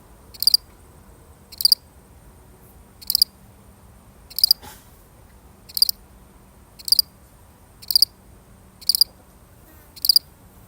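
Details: Lone cricket, real recording, giving clear bright chirps, each a quick cluster of pulses, spaced roughly every one to one and a half seconds; faint low hum and a soft click underneath.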